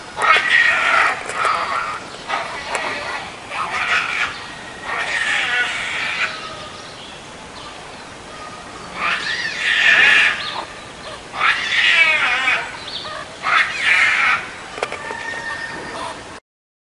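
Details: Meerkat triplets born 24 January at a zoo, on their first trip outdoors in cold weather with their parents warming them, give bursts of high, squeaky chirps and trills repeated every second or two.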